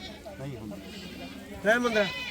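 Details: Beetal goat at a weekly Wednesday goat market in Rakhala, Punjab, India: after men's chatter, one loud wavering bleat arches up and down for about half a second, with crowd speech underneath.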